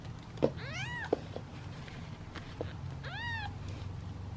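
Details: Hungry kittens in a basket awaiting their turn to eat give two clear, rising-falling meows a couple of seconds apart, with sharp taps and clicks between them.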